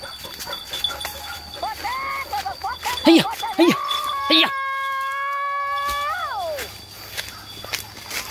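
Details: Village dogs bay while chasing many scattering wild boar during a hunt: short yelping notes, then a long, steady, howl-like tone that wavers and falls away at its end, with men shouting nearby.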